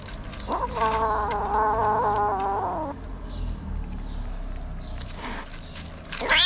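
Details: Stray kitten in Morocco resisting treatment, angry, mother cat nearby; one long sustained yowl lasting over two seconds, slightly wavering in pitch, followed by quieter handling noise and a sharp rising cry at the end.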